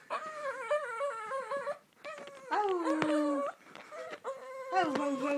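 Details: Lhasa Apso dog singing: wavering, whimpering howls in three bursts, the tones sliding up and down, with one longer falling note in the middle and short pauses between bursts, indoors.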